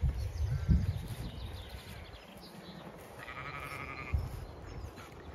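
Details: Zwartbles ewe in a flock in a field in County Kilkenny, Ireland, during lambing checks on a chilly, windy day; a single wavering, nasal bleat of about a second, after footsteps and wind rumble.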